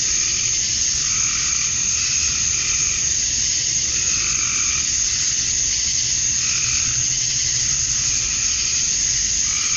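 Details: On a summer evening at dusk in Georgia, USA, male cicadas chirp to attract females, making a constant high buzzing wall of sound overlaid by mellower pulses recurring about every two seconds.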